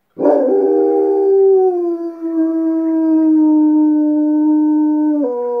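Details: Dog named Cujo answering coyotes with a long wavering howl that starts rough and broken, settles into a smooth, gradually falling tone, then drops abruptly to a lower pitch.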